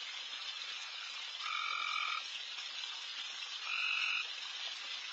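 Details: Frogs calling loudly at night across a backyard, their massed chorus a constant hiss. Two longer, louder nasal croaks stand out, the first lasting nearly a second, the second about half a second, two seconds apart.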